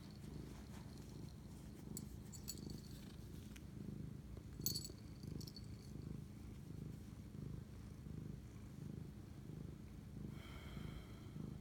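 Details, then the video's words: Pet cat bonding with its owner late at night, 25 March 2019, purring in a continuous low rumble that swells and fades in a slow breathing rhythm, with a few faint higher rustles and clicks. "spirit animal bonding asmr cat purr"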